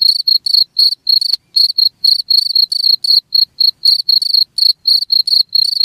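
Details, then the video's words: Steady cricket chirps meant to keep rats from a place, bright trilled bursts repeated roughly every quarter second, shrill and even, over a quiet background. "SUARA JANGKRIK"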